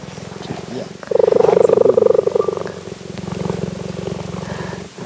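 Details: A cheetah near Livingston, Zambia, purrs in a steady, rapid, rumbling throb while being stroked, a sign it is relaxed and content.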